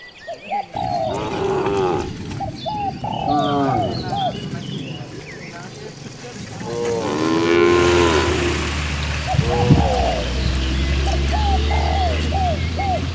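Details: Dozens of cows roaming freely in nature, several overlapping moos rising and falling in rich harmonic stacks, one louder drawn-out bellow near the end, short chirping bird notes and a steady high insect whine throughout.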